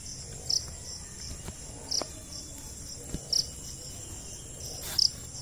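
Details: A cricket, the jhingur, chirps in sharp high bursts about once every one and a half seconds, four clear chirps against quiet background hiss with a few faint clicks.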